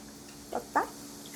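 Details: Adopted rescue dog lying politely while its owner eats, not begging for food; two brief, high whimpering notes about a quarter second apart, the second louder, over a quiet room.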